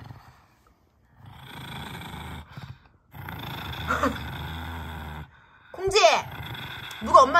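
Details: Kongjwi, a six-year-old female pug, turns fierce over a bone treat, giving two sustained low rumbling growls of about one and two seconds with short pauses between them, followed by a woman speaking at the end.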